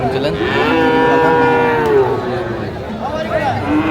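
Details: Friesian or cross-breed bull calf trading at Raniganj market, Dinajpur, Bangladesh, 15 January 2025: a clear moo held about a second that drops in pitch at the end, with a murmuring crowd around it.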